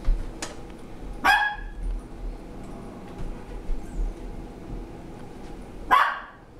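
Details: A 10-year-old female Papillon playing indoors, initiating play with a 15-month-old Landseer Newfoundland foster dog. Two sharp, high barks sound about five seconds apart over a steady low room hum.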